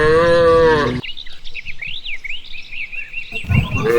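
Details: A cow in a herd being led home along a rural path after grazing gives a deep, drawn-out moo, then another begins as birds chirp in between.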